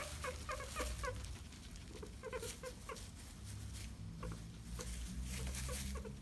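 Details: Guinea pigs Mr Jaffas and Baileys eating banana while one steals from the other: bursts of brief squeaky notes repeated in clusters of three or four, over a steady low rumble and rustling.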